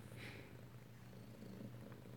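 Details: Kitten from Alabama recorded close-up at home, 7 February 2018, giving a continuous deep purr, an even low vibrating drone with a brief soft rustle early on.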